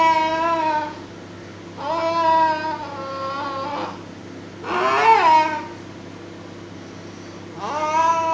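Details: Indoor pet cat tugging at his favourite duster and calling: four long, tonal meows spaced about two to three seconds apart, one strained and rising in the middle, over a faint room hum.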